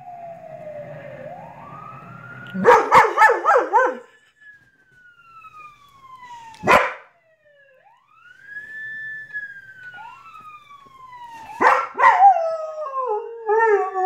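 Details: Smooth rising and falling siren sweeps dominate while Lucy the dog answers with three bursts of yelping, quavering howls, the last ending in a wobbling wail.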